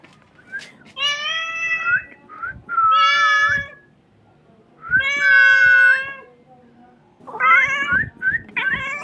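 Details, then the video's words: Crying kitten giving long, loud, bending meows, some rising then falling, with a few short chirped notes between and faint soft knocks in the background; four main cries in nine seconds. "Very beautiful crying sound of a kitten"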